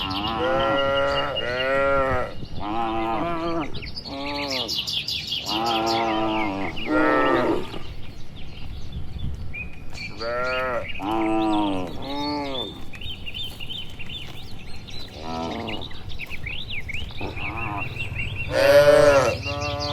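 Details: Evening village scene: dozens of healthy cattle walk slowly home toward their shed, answering one another; many short to medium moos in quick succession, some overlapping, with scattered bird chirps in the background.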